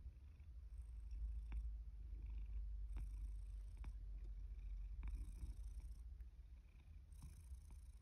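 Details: Rescued male domestic cat, born about spring 2019, in Higashiomi, Shiga Prefecture, Japan, autumn 2023, approaching when called for breakfast; a continuous deep, throbbing purr with a rapid pulse and occasional soft clicks and rustles.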